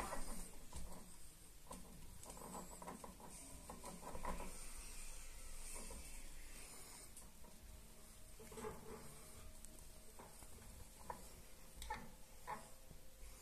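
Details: Caged hamster gnawing at its cage to sharpen its teeth, giving a steady rasping, filing scrape with soft rubbing textures and occasional brighter clicks throughout, against a low room hum.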